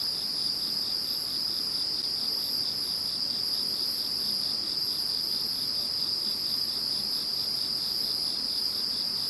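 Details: Many insects sing once Typhoon No. 21 has gone by: a continuous piercing tone over a rapid, evenly pulsed chirping trill, with a faint airy hiss above that swells gently every second or so.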